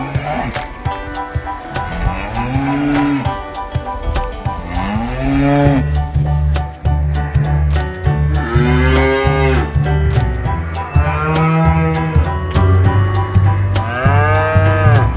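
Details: Cattle at a market calling to their companions: several long, harmonic moos, some rising then falling, overlapping one another, over a steady low hum and frequent clicks and knocks.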